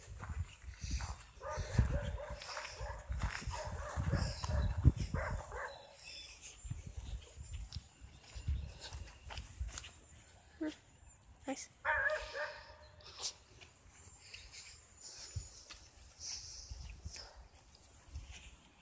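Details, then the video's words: A dog barking during a walk in a park, with bursts of short barks early on and again midway, over footsteps and outdoor background noise. "A walk in a park (featuring a barking dog)"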